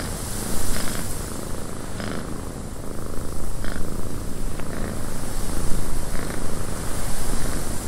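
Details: Domestic cat purring indoors in a windy cabin: a steady low rumble swelling and easing with each breath, with a soft broadband wind hiss and faint brief clicks above.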